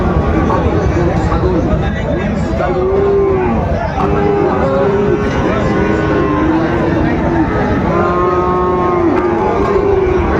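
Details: Cattle lowing at a busy livestock market in Bogura, Bangladesh, on 13 March 2025, where Sahiwal bull calves are bought. Several drawn-out, mid-pitched moos repeat across the recording over steady crowd chatter, bargaining voices and traffic noise.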